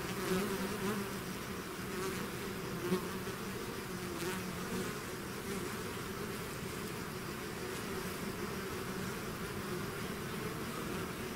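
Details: Honeybee-type swarm leaving its hive: many wings hum together in a steady, rich drone, with a few brief louder passes of single bees near the start and middle.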